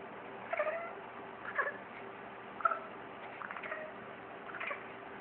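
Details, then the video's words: Pet cat indoors reacting to seeing a bird in the backyard: five short, quiet chirping chatters, spaced about one second apart, over a steady low hum. "Max Chatter"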